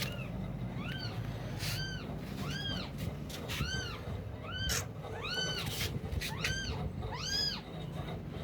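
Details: Young kittens mewing in a home with several cats; a steady run of high arched cries about once a second, with sharp clicks and a strong low rumble underneath.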